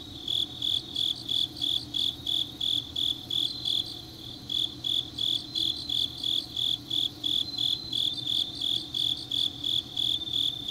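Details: Night chorus of autumn grass insects from Changnyeong in South Gyeongsang, steady shrill chirps pulsing evenly about three per second, a second thinner tone briefly layered above, low hum underneath.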